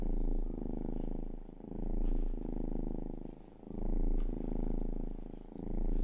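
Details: A pet cat named Rang-i purring up close: low, throbbing rumble rising and falling in slow breath cycles, each swell lasting just over a second before a brief dip, otherwise quiet room.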